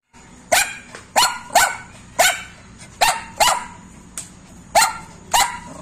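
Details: A Lhasa Apso gives a run of sharp, high-pitched barks at quick, uneven intervals.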